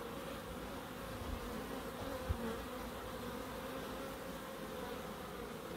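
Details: Low, even droning of bees in a small garden in Crookes, a dense steady buzz with a faint higher tonal line and a single soft knock midway.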